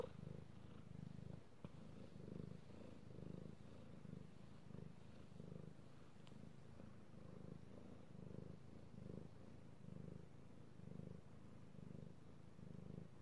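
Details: Male domestic cat purring under petting, recorded 16 March 2018: deep purr swelling and fading about once a second, matching each breath in and out, with a few faint clicks.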